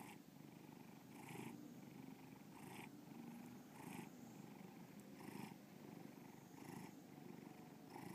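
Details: Loud, close purring from the cat Bubba: a low vibrating drone pulsing with each breath about every one and a half seconds, faint high ticks now and then.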